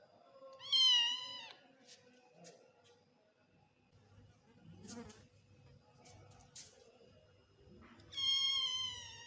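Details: An odd-eyed Persian kitten gives two high, drawn-out meows, each slightly wavering and falling at the end.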